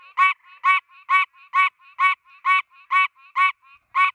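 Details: A Pine Barrens treefrog, standing still on a tree in the United States, gives nasal, honking quonks, repeated steadily about twice a second.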